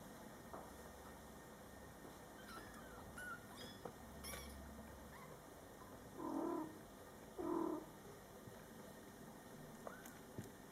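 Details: Mother cat Coco with her young Scottish Fold kittens born July 22, 2012: two short, low chirping murmurs from the mother a second apart, with faint high kitten squeaks and light rustling earlier.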